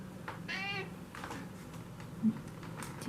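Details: Tikhon, a house cat, grows active on an evening of cool nights and makes a scandal, demanding food. He gives a single short, bright, nasal meow, followed by faint room noises and a soft human voice.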